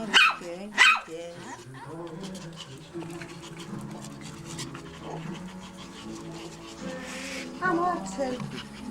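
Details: Small Maltese and Yorkshire Terrier dogs at a kennel in Reda, Poland: two quick shrill yaps open the passage, then a woman speaks affectionately over soft music before one more yelp near the end.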